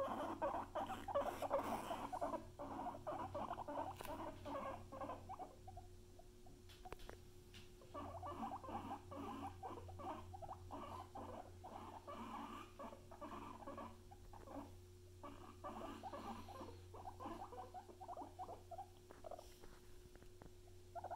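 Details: Guinea pigs Luna and Chip, kept as pets, giving a dense run of short, mid-pitched squeaky bursts that repeat rapidly and unevenly for about twenty seconds, over a steady low electrical hum.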